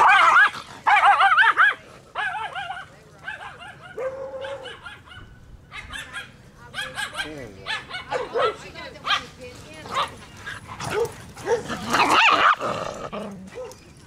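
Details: Dogs at a dog park, separated by a fence, giving sharp yelping barks and higher whines in bursts throughout, mixed with loud human voices talking and exclaiming over them.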